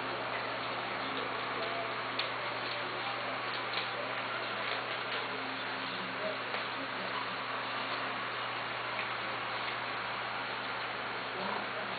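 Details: A steady low hum and broad indoor hiss with faint ticking clicks, but no clear animal voice.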